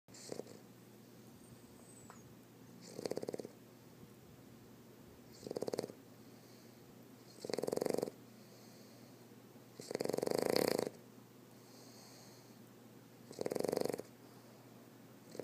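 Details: A male Boston Terrier snores with his eyes open, in loud, rasping bursts, each breath roughly every two to three seconds.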